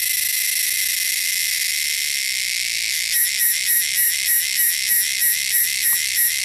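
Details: Wild cicadas sound a shrill, loud drone that holds steady, then from the third second breaks into rapid pulses, about three each second.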